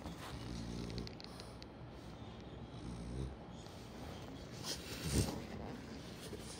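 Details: French Bulldog named Kome, sleeping in an unusual pillow position, snoring with low, rumbling harmonic breaths; two longer drawn-out snores in the first half, then quieter breathing with a few faint clicks and a soft room hiss.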